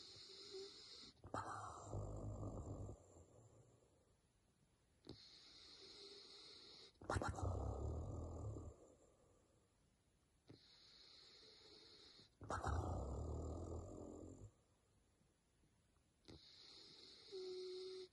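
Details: Sleeping Basset Hound snoring slowly and deeply. Long, low, rasping breaths come in bursts about every five to six seconds, with quiet pauses between them. A thin, steady high-pitched hum fills the gaps.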